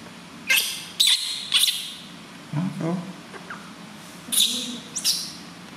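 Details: Newborn baby monkey crying very loudly during its first bath, washed gently by its mother. Shrill, high squealing cries come in short separate bursts, about two each second at first, then a pause with a lower, murmured sound.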